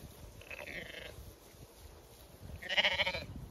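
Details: Zwartbles sheep on a regenerative Kilkenny farm in Ireland, ewes and lambs in May heat; a soft short bleat followed by a louder, pulsing, tremulous bleat near the end, with a thin steady high whine.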